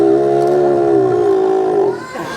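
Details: Ella, a 3-year-old female South American sea lion weighing 91 kg and the smallest of four at the Vincennes Zoo, calls on cue after receiving a fish. Her bark is a steady, loud, tonal, harmonic note lasting about two seconds, then fades.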